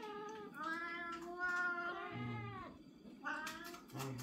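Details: Growing domestic kittens, two males and a female, meowing as their voices are compared: long drawn-out meows that rise then fall, one low and shorter, with faint music behind.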